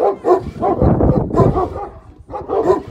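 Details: A Šarplaninac dog giving deep, rough barks and throaty voiced sounds that run almost continuously for three seconds, with a few louder peaks.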